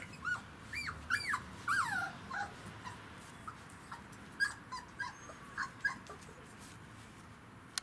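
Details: Kicsi x Yeltsin pups at three weeks five days, settling into their kennel on day one, give a string of arching high-pitched whimpers early on, then fainter, shorter squeaks spaced roughly every half second.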